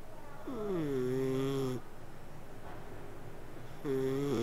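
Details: A slumbering cat produces a long buzzy snoring purr that glides down and then holds steady, followed by a quiet gap and the start of another breath.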